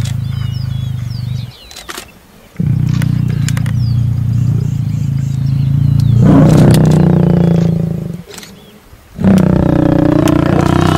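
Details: Mating lion in the Masai Mara giving deep, sustained rumbling growls that swell into a louder, rougher roar, broken by two brief pauses, with birdsong in the background.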